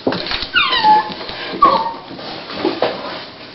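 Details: At the onset of labour before her puppies arrive, Dolly the female Toy Pinscher lets out two clear whines, each sliding downward from high to lower pitch, about a second apart, over faint rustling.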